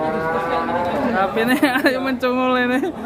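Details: Cattle in Indonesia being loaded, its head bent and twisted during handling; a drawn-out low moo that wavers at first, then holds steady before fading, with men's voices talking close by.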